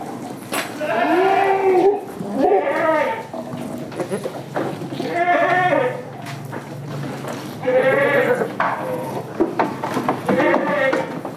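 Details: Goats on a village farm keeping Damascus and Jamunapari breeds, several loud wavering bleats in bursts, with a constant background hum and noisy surroundings.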